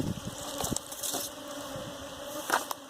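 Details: Bees at a hive being caught for domestication: a steady low droning hum with a higher overtone runs throughout, broken by sharp clicks and knocks, with Telugu voices nearby.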